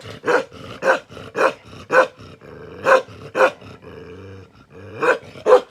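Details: Bakarwal dog, described as an aggressive protection dog, lets out loud, rough barks about twice a second, broken by a low growling rumble before a last pair of barks.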